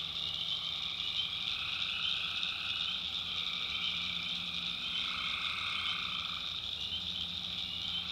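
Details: Tree frogs at night in a North Carolina backwoods swamp: a thick, steady high-pitched chorus with a lower buzzy strand fading in and out, over a quiet low drone.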